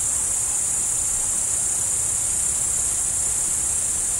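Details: Chirping crickets form an unbroken, high, even trill, steady in loudness from start to finish, with only faint low background noise beneath.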